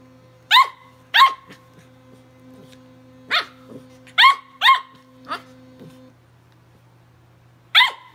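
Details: A tri-colour Welsh Corgi puppy battling an electric toothbrush gives sharp, high yapping barks at irregular intervals over the toothbrush's steady electric hum.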